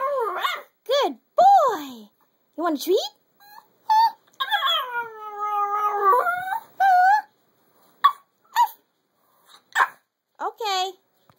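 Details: A Chihuahua singing: a run of rising and falling yips and wavering howls, some held and gently warbling, broken by short gaps, with a person's voice and music heard before.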